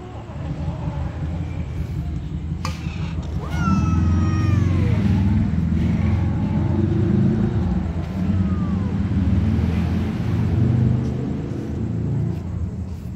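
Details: Black kitten, hungrier than the white kitten, eating alongside other cats; two falling, harmonic meows ring out, one long near the start and a shorter one later, over a heavy, steady low rumble resembling an engine.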